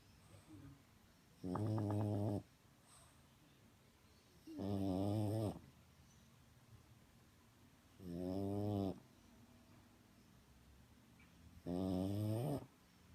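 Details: French bulldog snoring while asleep, four droning harmonic snores of about a second each, repeated roughly every three and a half seconds with quiet breaths between, in a small indoor room.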